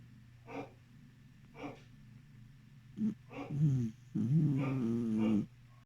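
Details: A sleeping Beagle snores with short snorting breaths, then gives longer low grumbling, whimpering sounds with a wavering tone near the end.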